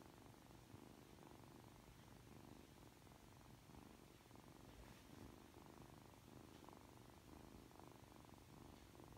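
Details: Sleepy Ragdoll kitten Aki, three months old, purrs affectionately after waking. The purr is a faint, low, vibrating hum that rises and falls with each breath, against a quiet room.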